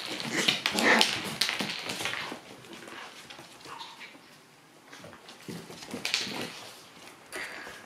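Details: Lively Shiba Inu puppies at their daycare: sharp high yips and whimpering in the opening two seconds, then quieter scattered squeaks and a brief yip near six seconds.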